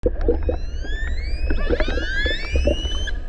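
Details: Orcas off Norway's Lofoten archipelago in the Arctic, recorded underwater: long, rising, harmonic whistles sweeping upward, layered with clicks over a low underwater rumble, amid concern over boat noise. Killer whale.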